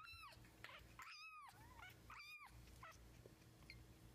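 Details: Kitten learning to walk, filmed April 2014, gives high arched meows, several rising then falling, in a small indoor room with faint background hum.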